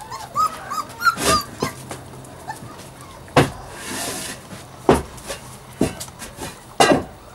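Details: Puppies at play give short high squeaky yips and whines near the start, followed by scattered sharp knocks and clatters, with a low steady hum running underneath.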